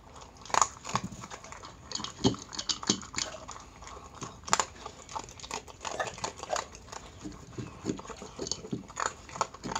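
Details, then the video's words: Crunchy chewing from a Miniature Pinscher named Chi-chan eating her dog food meal indoors: loud, distinct bites spaced roughly every half second, crackling over a quiet room. "ドックフード 食べる いい音 ミニチュアピンシャー Miniature Pinscher meal video"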